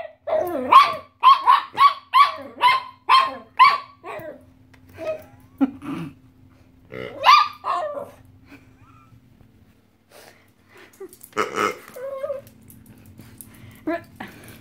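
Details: Odie, a 2.5-year-old Chihuahua, barks while a weird pig toy is squeaked; a second dog, Rugby, is also present. A quick run of sharp, high barks comes about twice a second, followed by sparser barks and rough, growly bursts.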